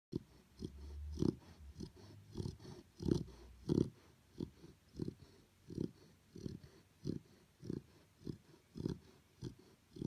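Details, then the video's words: Chow Chow puppy asleep indoors, snoring in soft rhythmic low breaths about one and a half per second, a few louder rumbling snores early on, then steady even puffs throughout. "Chow Chow Puppy Snoring"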